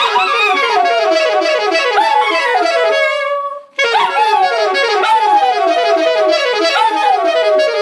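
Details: A dachshund "sings the blues", letting out drawn-out howls that slide downward every second or two over loud live saxophone blues, which briefly drops out before resuming.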